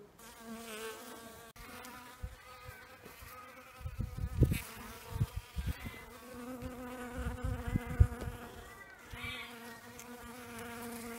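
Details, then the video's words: European honeybee, an exotic species in Australia, foraging on magnolia; a low, steady wing hum with faint harmonic bands, swelling in several louder bursts as the bee moves close, with soft background noise. "European Honeybee (Apis mellifera) foraging on Magnolia"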